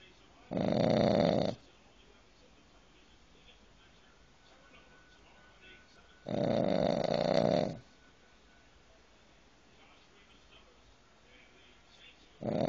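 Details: A dog snoring loudly: three long, rasping, breathy snores, each lasting about a second, spaced roughly six seconds apart with near-silence between them.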